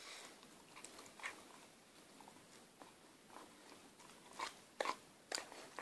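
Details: Sticky toffee (a chocolate eclair) being worked over by a six-month-old female Akita puppy inside a small room; sparse soft smacks early, then louder clustered biting clicks toward the end.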